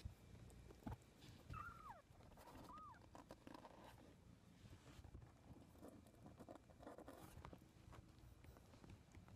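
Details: Baby kitten learning to walk, recorded April 2014: two short high mews about a second apart, the first sliding downward, the second arched, over soft rustling and low background noise.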